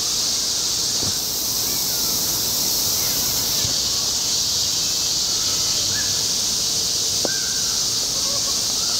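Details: A robust cicada (Minmin cicada) on a tree trunk sings a loud, steady, high-pitched buzzing drone, with faint crow calls behind, then flies off as soon as it stops.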